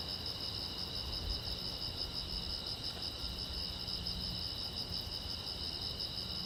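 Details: Crickets chirping at night beside a silent road: a dense, continuous high shrill chorus of rapidly pulsing trills holding steady throughout, with faint low rumble underneath.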